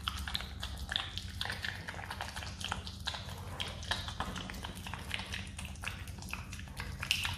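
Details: A pet Himalayan marmot chews jelly noisily, with rapid wet clicks and smacks over a low steady hum.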